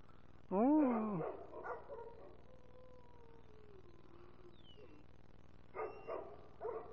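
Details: Sammy, an American Foxhound, howls along with his owner. A loud rising-then-falling bay opens, followed by a long, thin, slowly descending wail. Shorter baying bursts come near the end.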